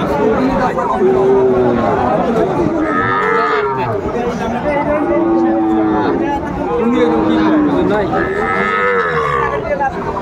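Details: Sahiwal bull calves at a cattle market on 20 April 2024. Several long, bending moos come at intervals across the recording, partly buried by steady crowd chatter and bargaining voices.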